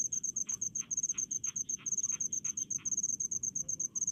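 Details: In a rice paddy, a cricket trills in fast, shrill pulsed bursts, almost unbroken, with faint scratchy mid-pitched sounds and low background murmur underneath.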